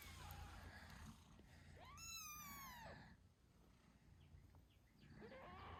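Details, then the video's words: Eight-day-old British Shorthair kittens with their mother, Moon Stone, while she nurses them: a steady low purring rumble underlies one clear arched, harmonic-rich meow near the middle and a fainter squeak at the end. "Cute Kittens Meowing Yawning Sleeping Cat Mom Purrs Loudly"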